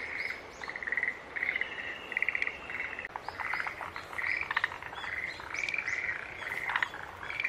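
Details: Chorus of green tree frogs: clipped, nasal, buzzy notes come in irregular runs, mixed with higher chirping and clicking calls from other animals in the night background.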